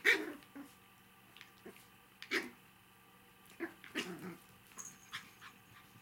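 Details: Five-week-old puppies at play indoors, three left from the litter; sharp high yips and brief growling bursts scattered across the recording, separated by quiet gaps.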